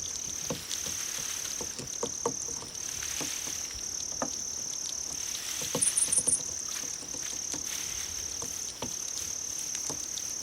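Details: Grass insects, played to attract cats: a steady high, unbroken trill, with a brief burst of four sharper, higher pulses near the middle. Soft clicking and watery patter sound underneath.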